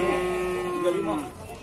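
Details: Cattle at the Pasar Wage Bumiayu livestock market in Indonesia: one steady, droning moo held for over a second, level then wavering slightly and dropping at the end, amid faint market bustle.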